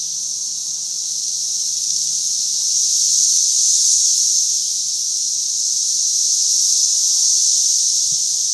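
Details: A Missouri cicada brood at peak emergence, crowding a single tree, fills the air with a steady, shrill electric buzz whose volume rises and falls in slow, wave-like pulses with no pause.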